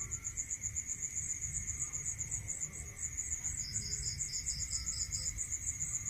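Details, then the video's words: At night in the countryside, crickets give rapid high-pitched pulsed chirping without pause, a second lower trill entering in the latter half, with a constant faint tone and low rumble beneath. "Listening to Cricket Sound Natural meditation music"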